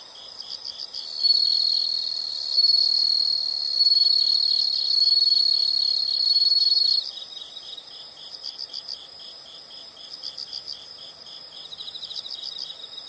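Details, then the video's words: Insect chorus in a natural setting: a loud, sustained high-pitched drone dominates the middle stretch, framed by clusters of rapid, evenly pulsed chirps before and after. "the sound of insects"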